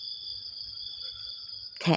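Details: Crickets in the morning, a steady high-pitched continuous trill of two even tones, ending with a short loud broadband burst of noise.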